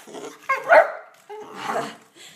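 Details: Ten-week-old Olde English Bulldogge puppies at playtime indoors: a sudden sharp yelping bark, then a longer, rougher harmonic bark with a growling edge, separated by a brief pause.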